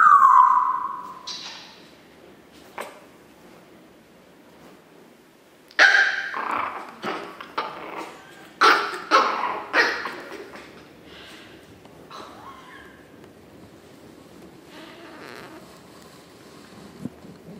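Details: Chihuahua puppies, 9 April 2016. A steady high whine falls away at the start. After a quiet gap comes a cluster of sharp, irregular yips and squeaky barks, which taper off into faint rustling.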